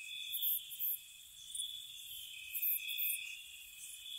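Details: Spring night cricket chorus by a cottage: a continuous high-pitched trill holding level, with short sharper chirp bursts breaking through irregularly above it.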